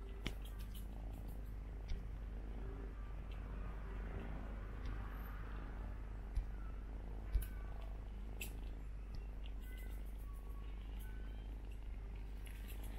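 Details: Persian kittens nursing on their brother, mistaking him for their mother. A deep, unbroken purr drones throughout, with a few sharp taps and soft shuffling sounds.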